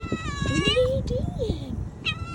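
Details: Young female kitten that came back after ten days missing following a snowstorm, meowing loudly on her return: a long rising-falling meow, then another starting as a person calls softly to her.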